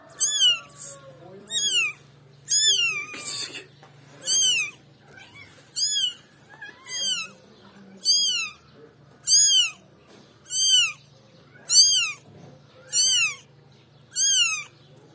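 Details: Kitten meowing indoors: a series of about twelve high, clear, arched meows, each rising then falling, repeated roughly every second, over a low steady hum with a few brief words spoken nearby.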